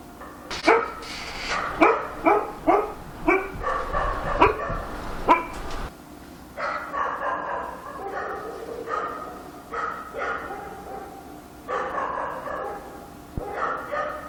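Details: Night in Korea with a dog barking steadily: a fast run of loud, punchy barks for six seconds, then looser, lower barks spaced irregularly until the end.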